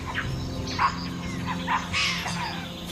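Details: In forest, capuchin monkeys give sharp, brief alarm barks as a puma stalks near a mother deer and fawn drinking 200 m away, warning every creature that a predatory cat is close.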